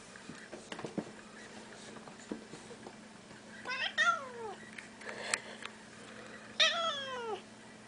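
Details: Siamese cat kept indoors, one of two, blue point and seal point, answering its owner with two falling wavering meows about three seconds apart, amid clicks, rustling and a faint steady room hum.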